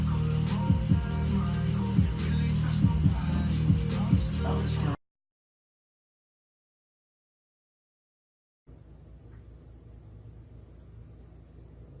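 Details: Music with a deep beat and some speech runs for five seconds, then silence, then a faint low hum, with no animal sound.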